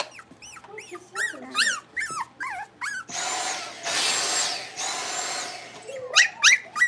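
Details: Blenheim Cavalier King Charles Spaniel puppies from a litter of five born at New Year, playing in an indoor puppy pen: rapid high squeaky whines with rising and falling pitch, broken by a loud rushing burst of noise midway.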